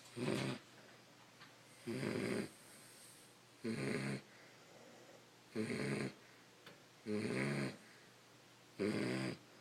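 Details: Sleeping Beagles snoring indoors: loud raspy breaths repeating about every one and a half to two seconds, six snores with quiet gaps between them.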